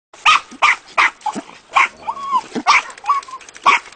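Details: Jack Russell terriers at a breeding kennel bark in quick, sharp, high yaps, one after another.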